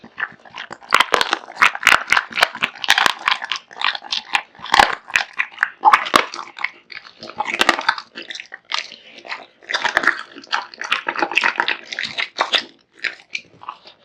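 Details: A long, fast string of crackling bites and chomps as Kotetsu, a male American Bully born in 2016, wolfs down raw meat and bones, the crunches packed closely with few gaps.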